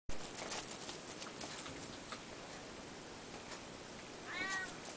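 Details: Ragdoll cat, one of a pair of sibling cats kept indoors, gives a single short rising-then-falling meow near the end after a long stretch of faint room hiss and soft clicks.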